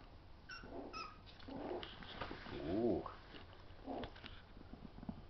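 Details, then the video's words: Two feisty Schnauzer puppies play fighting: short yips early, then a wavering growl-whine peaking near the third second, with soft scuffles and patter around it. "Schnauzer puppies play fighting"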